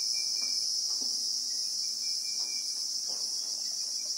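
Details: Christmas beetles (Anoplognathus) droning in South African acacia bushveld, recorded in real time: a constant piercing buzz layered in two high bands, with faint irregular ticks and a steady thin tone lower down.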